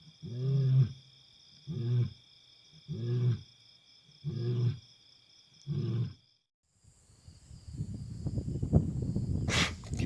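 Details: Wild African lion roaring at night on safari in Africa: five short, deep, grunting roars about every 1.2 seconds, a steady high whine in the background, then a rough rumbling noise.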